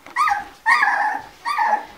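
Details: Two-week-old Labrador Retriever puppies in a litter give three loud, drawn-out whining cries, each rising then falling in pitch, spaced about every two-thirds of a second.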